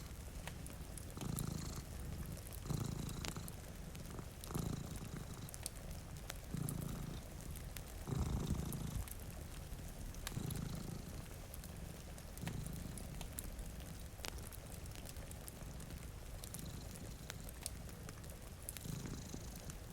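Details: Cats sleeping in front of a rainy window purr in a deep, low rumble. The purr swells in pulses roughly every two seconds beneath a steady hiss of rain and scattered fireplace crackles.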